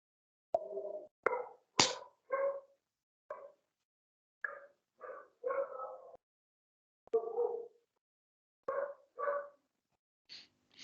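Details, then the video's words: A domestic dog gives short, harsh, yelping barks in irregular bursts with brief pauses. The owner says the dog is howling a lot, apparently because men are behind the door. "C'è il mio cane che sta ululando tantissimo, scusate."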